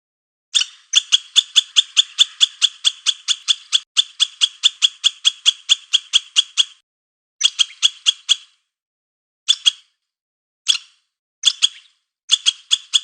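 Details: Squirrel chattering: a long six-second run of quick, sharp, high chips, then shorter bursts separated by silences, the final calls coming as brief clusters of a few notes each.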